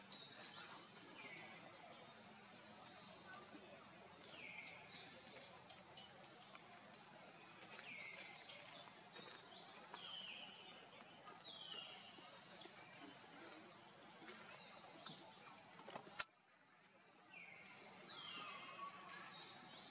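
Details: Hungry baby monkey Leo cries to his mother for milk, giving repeated high, falling whistled wails every second or two against constant background hiss, with one sharp click partway through.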